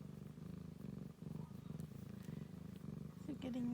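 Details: Ragdoll kittens with their mother, little ones nursing for extra milk. A steady low rumbling purr pulses in even bursts about twice a second, and a woman's voice speaks briefly at the end.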